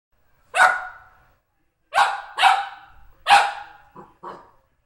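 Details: Golden Retriever barking at felt drum beaters it dislikes, reacting to the Demon Drive beaters: a single sharp bark, then a tight pair, a louder bark and two shorter, softer yelps, all rough and mid-pitched, in a quiet room.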